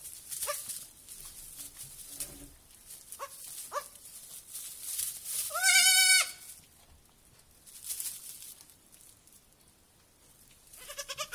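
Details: Goat kids at a petting farm, first evening there; short faint bleats, then a loud, strained, quavering bleat midway, and another bleat beginning at the end, with background rustling and murmur.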